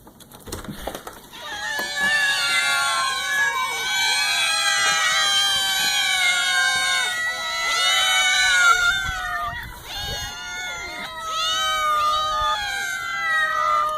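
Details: Ten hungry house cats meowing together at feeding time, a dense overlapping chorus of loud, drawn-out meows, many voices calling at once with rising and falling wails, nearly continuous after the first second.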